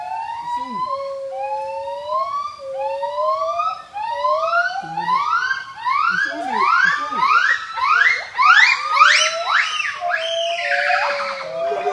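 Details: Monkeys in Thailand give loud, siren-like whooping screams that rise in pitch and quicken into a frenzied climax.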